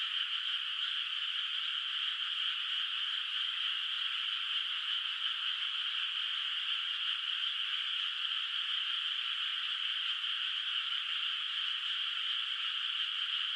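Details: Countryside rice field at night under the moon, unplanted water, full of calling frogs. The chorus stays dense and uniform for the whole stretch, a steady rasping shimmer without pauses or separate calls.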